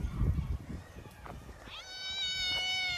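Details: Park stray cat in winter fur: a person talks briefly, then after a pause the cat gives a long, level, drawn-out meow with rich overtones.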